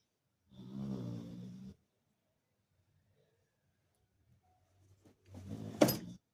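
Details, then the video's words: A sleeping Labrador, called the household's watchman, snores: two low, rumbling, harmonic breaths about four seconds apart, each lasting around a second, with near silence between them in a small indoor room. "Cute labrador snoring ghar ka chowkidar skhid so Raha hai"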